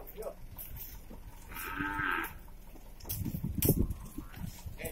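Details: Beef cattle moved between prisons in Indonesia, from Batu to the Nusakambangan open prison's industry unit: a single short, strong moo in mid-clip, then loud knocking and rattling of handling or transport.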